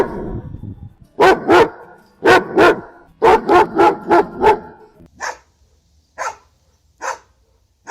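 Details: Domestic dog from a ten-breed barking compilation: loud, deep barks in pairs and a fast run of five, then several higher, thinner yaps spaced about a second apart over low background rumble.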